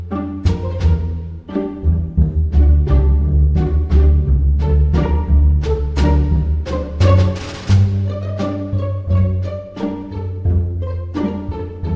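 Only music is heard, with deep bowed and plucked string notes and a steady beat, and no animal voice.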